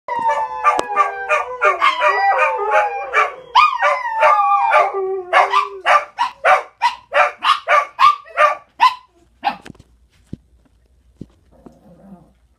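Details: Several pet dogs barking at home, described as being annoying: long whining howl-like yelps at first, then sharp barks repeated about three times a second for several seconds, ending in near quiet with faint shuffling.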